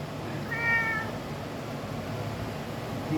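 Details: Kitten meowing in response to its owner's call: one short, high, slightly falling mew with clear harmonics, about half a second long, followed by quiet room noise and low hum.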